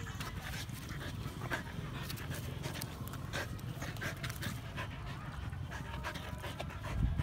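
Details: Siberian Husky panting in quick, steady breathy bursts for several seconds, a soft rasping rhythm over low background rumble, with a faint human voice briefly audible.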